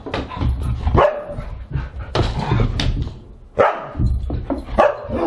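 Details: Siberian huskies at a dinner party on August 30, 2022, giving sharp, loud barks near 1, 3.6 and 4.8 seconds over a steady background of lower dog vocalizing and rustling.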